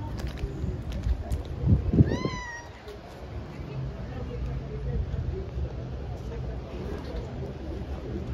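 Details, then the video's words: Hungry tabby stray kitten outdoors, meowing loudly for its mother as it eats: one clear, slightly descending meow after some low thumps and murmuring, then only a low rumble of background noise. "Tabby cat is hungry.She eats badly and meows loudly and calls her mother.Kitten is looking for a mom"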